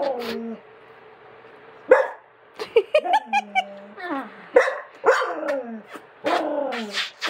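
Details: Jealous dog in the United States reacting while its owner kisses another dog: sharp barks and wavering, whining yelps in quick bursts, followed by longer drawn-out whines over a low hum.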